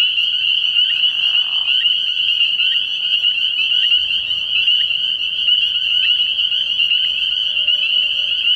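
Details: Early-year night at a frog pond where many spring peepers call together: shrill, constant overlapping peeps, with a brief soft rustling burst near the start and faint low rumbling later.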